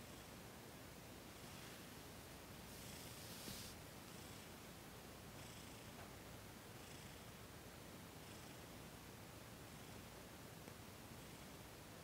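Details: Thomas, a cat, purring softly during a massage and Reiki session on December 28, 2021. A low, steady rumble pulses with his breathing, with faint hand rustles over it.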